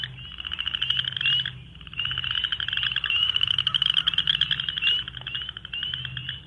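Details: Recorded chorus of chorus frogs whose call resembles a finger drawn along a stiff plastic comb; overlapping rapid pulsed trills swell and dip without pause, spring peepers mixed in, faint low background hum.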